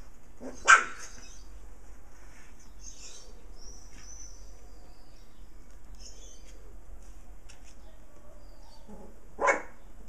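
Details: Puppies playing with their mother dog: two sharp single barks about nine seconds apart over low hiss, with faint high chirping between them.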